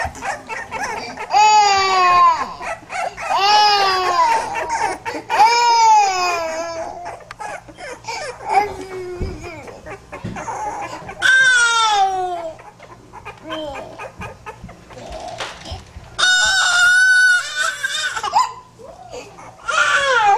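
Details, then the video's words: Pit bull puppies cry repeatedly in drawn-out, falling wails mixed with shorter yelps and squeaks. The cries come in irregular bursts with brief pauses between them. "cute pitbull puppies"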